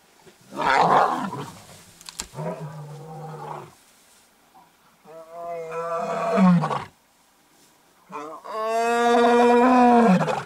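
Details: Male white lion attacking the lioness that is mother of his two cubs, on the H6 road south of Satara Rest Camp, Kruger National Park, South Africa; three bursts of harsh, harmonic snarling growls, each rising then dropping, with short quiet gaps.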